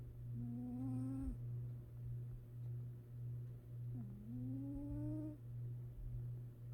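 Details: Sleeping female cat, gently snoring while napping: two soft whistled, slightly rising tones with breaths in a slow steady rhythm over a constant low hum.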